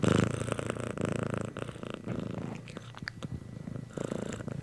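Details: Domestic cat purring: a continuous low, pulsing rumble with rhythmic breathing cycles and brief gaps, close to the listener, with a few soft clicks and rustles.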